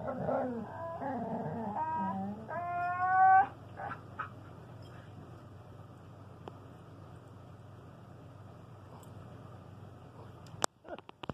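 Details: Pet dogs, a standard poodle and a talking husky, vocalizing to each other: a few wavering moans and a rising yowl in the first seconds, then near quiet with a faint hum and a sharp knock at the end.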